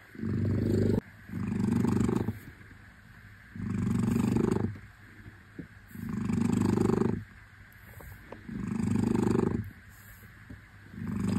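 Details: Shufen, a shorthair Lihua pet cat, purring steadily in low rumbling bursts, each breath a swell lasting about a second with short quiet gaps between, in an even rhythm and with no other sounds.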